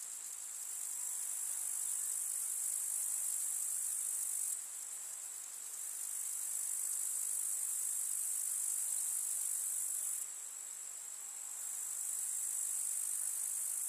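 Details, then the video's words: Summer meadow grasshoppers in a countryside setting: an unbroken, very high-pitched rasping trill. It fades slightly twice, around the middle and later on, before returning to full strength. "КУЗНЕЧИКИ. Слушать звуки летнего луга"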